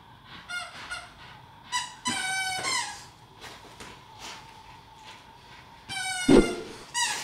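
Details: English Staffordshire Bull Terrier puppy, Mr Shaq, playing tug-of-war with his big sister Ms Cali: high harmonic squeals and short whines come in bursts, with a longer whining stretch near the end and some scuffling between calls.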